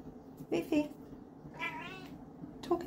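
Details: Savannah cat indoors, talking to its owner: two short meows, a longer wavering meow, then a brief final meow, with a person speaking softly.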